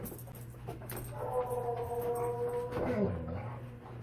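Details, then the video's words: Alaskan Malamute named Tonka responding to a Bigfoot recording with a level, sustained whine lasting over a second, then a brief lower wavering sound, over a constant low electrical hum and faint background noise. "Malamute Reacts To Tennessee Mountain Man-Big Foot AKA Sasquatch"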